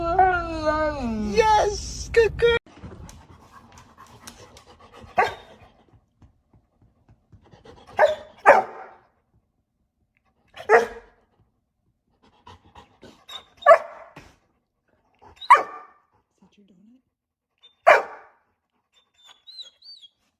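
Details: Pet dogs in a home compilation, making short talking-like yowls and whines in separate bursts every two to three seconds, after a woman's voice asking a dog to speak, with music playing between the calls.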